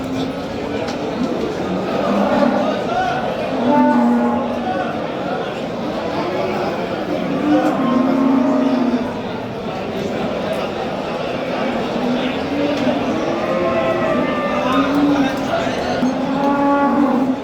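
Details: Simmental bulls for sale at a busy livestock bazaar in Qo'rg'ontepa district near Qorasuv, Andijan region, Uzbekistan; several low, droning moos rise and fall across the stretch, overlapped by constant speech, crowd chatter and the noise of the market hall.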